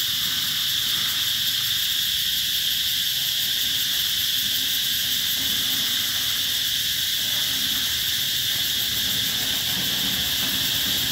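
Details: Cicadas at the Mỹ Luông eco-tourism site in Chợ Mới, An Giang, Vietnam, summer 2021: a dense, unbroken high buzzing drone that holds steady at the same pitch and loudness for the whole stretch, with no pauses.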